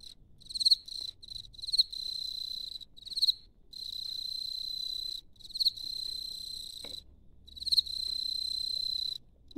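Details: A field cricket rubs one wing against the other to make bright, high chirps that stretch into long, steady trills, claiming its burrow.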